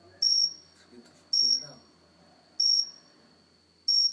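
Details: Four crisp high-pitched chirps from a cricket on an indoor house plant, spaced about a second apart, with soft background murmuring and a steady faint high tone.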